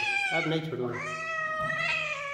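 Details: Kitten held indoors in a small room giving a drawn-out harmonic meow that falls then levels off, overlapping a man's Hindi speech and a low steady hum.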